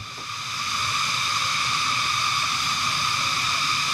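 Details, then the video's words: Very loud cicada chorus in the Cordillera region, Benguet, heard after a motorcycle engine is shut off: a dense, steady, shrill drone of stacked high bands with constant loudness and no breaks. "Grabe, sobrang lakas ng kuliglig, Trippers."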